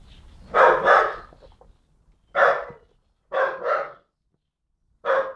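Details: Jock, a dog about 10-11 months old, barking at birds and at the person recording: loud, harsh barks in quick pairs and singles, six in about five seconds, with short silent gaps between bursts.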